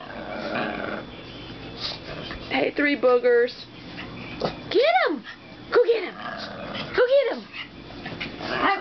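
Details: Foster dog and two other household dogs play barking at each other indoors, apparently playing together for the first time; high, arching yelps and barks in short bursts, mixed with a man's excited urging and laughter.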